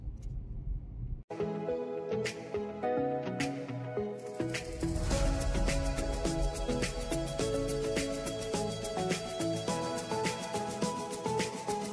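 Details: Gentle instrumental music plays throughout after a brief quiet opening, with no animal sounds.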